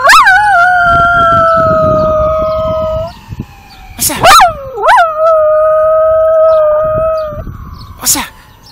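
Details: Pembroke Welsh Corgi female howling on command while being trained to sing: long steady tonal howls with rich harmonics, sliding gently down, broken by short rising yelps and breaks; a person's voice briefly between howls.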